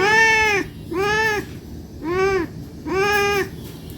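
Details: Domestic cat meowing to beg for food because it is hungry: four drawn-out, arched meows in a row, each about half a second long, separated by short pauses, with a faint background hiss.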